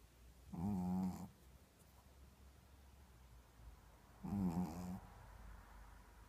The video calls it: Shih Tzu snoring